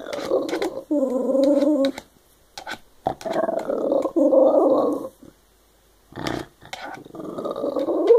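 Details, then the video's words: Shiba Inu chatting indoors: drawn-out, wavering growly moans and grumbles in several long phrases broken by short pauses, with clicks and faint background sounds between them. "Shiba talking"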